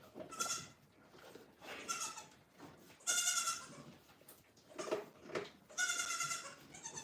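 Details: Farm goats heard at some distance, a handful of thin, higher-pitched bleats rising and falling irregularly, spaced a second or two apart over a soft, noisy background.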